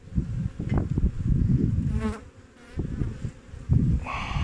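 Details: Low droning of honey bees around hives kept by a New Zealand beekeeper on 20 August 2021, while a wingless queen is examined; the hum swells and fades in uneven pulses, and a brighter buzz passes near the end.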